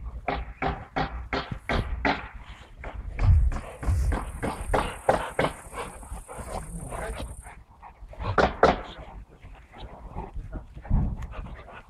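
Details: A Saint Bernard pants in quick, regular huffing pulses that slow and soften midway before a few stronger breaths return, while a thin, steady high tone runs through the middle seconds.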